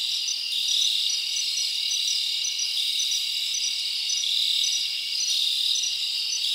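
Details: Night chorus of crickets in summer forest: many insects chirping together in an unbroken bright high trill, with small rhythmic pulses and slight swells in loudness throughout, nothing else clearly heard.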